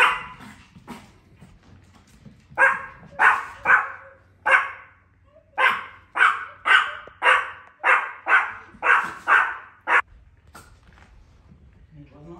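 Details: Tiny pet Chihuahuas guarding their property from the UPS driver, who arrives at the same time each day, give a fast run of shrill, evenly spaced yaps after a few faint ones, then fall quiet.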